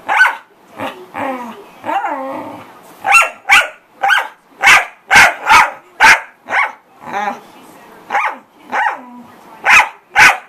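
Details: A corgi barks loudly, starting with a few wavering whines and then settling into a steady string of sharp, punchy barks about two per second.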